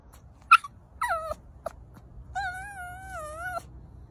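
A Pomeranian gives a sharp yip, then high, drawn-out whines with short yelps between them.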